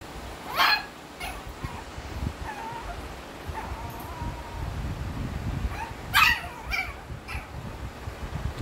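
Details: Male Shih Tzu puppy giving a few short, sharp high yips, one near the start and a cluster toward the end, separated by quiet stretches with low background rumble and faint whines.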